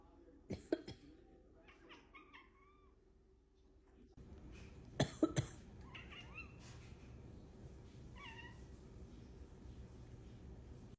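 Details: Indoors, the pet cat Sushi reacts to her owner coughing or sneezing with low-pitched mews. Sharp coughs come early and midway. Each is followed by a series of short, bending mews, some rising, some falling, over a steady background hum.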